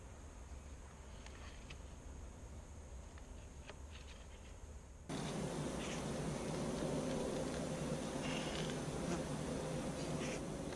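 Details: Honey bees filmed on a GoPro during a week-two hive inspection, their brood box almost filled; a steady droning buzz hums along, then jumps abruptly louder and denser after about five seconds as the swarm sound fills everything.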